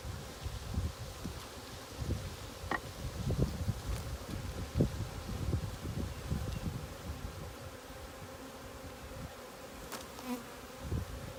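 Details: Honey bee swarm being caught at a sanctuary in April 2018; low, dense droning hum with irregular soft thumps and rustles throughout, a few sharp clicks near the end.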